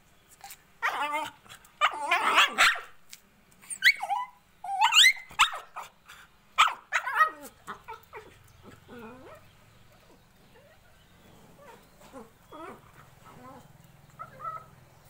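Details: Crying Indian Spitz puppy giving rapid high yelps and whimpers for the first half, then fading to softer, sparse whines over a low steady hum.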